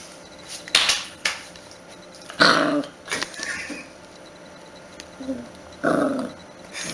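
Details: Puppy barking in a home setting: several short, harsh yapping barks in uneven bursts, two louder ones about three seconds apart, with quieter rustling and faint household sounds between them.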